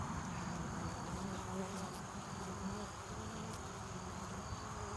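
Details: Early-evening activity at a honeybee hive entrance as bees return laden with pollen and nectar for winter. A thick, unbroken low buzz of many bees, with the occasional nearer wingbeat hum rising above it.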